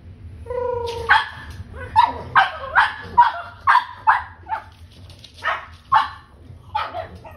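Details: Pug puppies playing wildly give a run of sharp, high yapping barks, roughly two per second in uneven bursts, each short and bright, over a low background hum.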